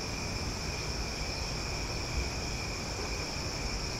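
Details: Nighttime cicada chorus in Omaha during summer, a loud steady whirring drone of overlapping tones holding constant for several seconds above a soft low background rumble.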